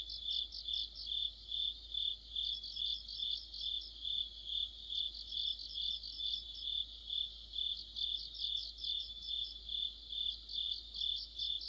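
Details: Autumn chorus of crickets and other insects: a steady high shimmering trill with pulsing swells about twice per second, several callers overlapping throughout, no other sounds intruding.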